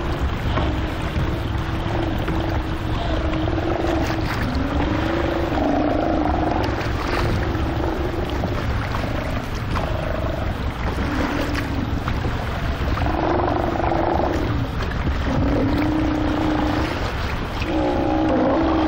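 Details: Steller sea lions, about 2000 lb, at the Belle Chain Islets in the Strait of Georgia, a few km west of the Fraser River mouth, give overlapping, drawn-out moaning roars over a steady low engine rumble.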